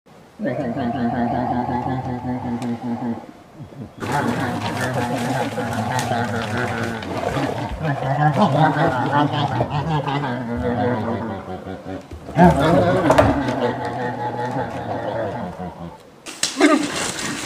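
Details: American black bear: low, harmonic moaning calls with a throbbing, pulsed quality in several separate stretches. The stretches are joined by abrupt cuts, and some are rougher and grunt-like than others.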